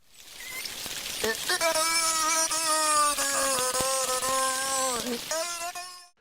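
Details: Noc, a beluga whale (Delphinapterus leucas), makes low, drawn-out, speech-like tones resembling the word "out"; their rhythm and acoustics are closer to human speech than to his normal calls.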